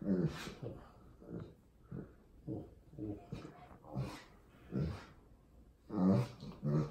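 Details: Wallace, an Old English Sheepdog kept as a family pet, making low, throaty grunts and huffing breaths, repeated roughly every half second to second in soft bursts, indoors.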